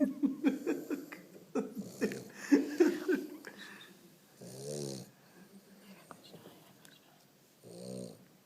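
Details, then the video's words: Sleeping French Bulldog snoring: rough, rasping snorts at first, then two longer, buzzy low snores a few seconds apart, with faint clicks and rustling between. "frenchie snoring / bulldog Frances"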